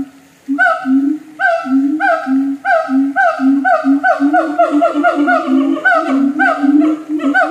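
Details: Zoo siamang in North Lombok calling continuously with steady low booming pulses roughly twice a second, joined by bright upward-sweeping barks that grow faster and more overlapping toward the end.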